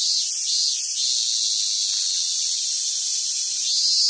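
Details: Cicadas singing in summer at the Awaji Island Monkey Center, Sumoto, Hyogo, Japan, where wild Japanese macaques gather: a steady, dense, hissing high-pitched drone filling the whole stretch, with slight wavering swells near the start.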